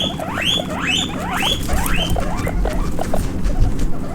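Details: Baby guinea pig running about, with four loud upward-sweeping squeaks in quick succession during the first two seconds, then fainter chirps and steady low rustling noise.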